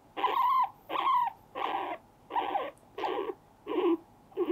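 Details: Pet male guinea pig that attacks a finger with his front teeth makes loud repeated squealing calls, about one and a half per second, each with a slightly falling tone, in a quiet room.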